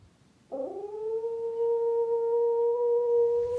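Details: A domestic dog, left alone at home and watched by a camera aimed at the doors where it looks out, gives a long, steady howl after a brief rising start, calling for its absent owner, to whom it is strongly attached.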